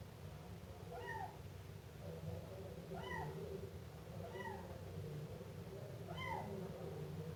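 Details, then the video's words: Siamese kitten meowing: four short, high, arching mews spaced about every one and a half to two seconds, each rising then falling, over a steady low rumbling hum in the background. "Efeito sonoro de gato miando filhote siamês"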